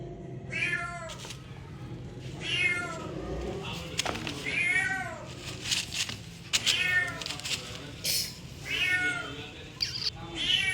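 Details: Domestic cat meowing: a series of high, harmonic meows, each rising then falling, spaced roughly every one to two seconds, with short clicks and rustles in between.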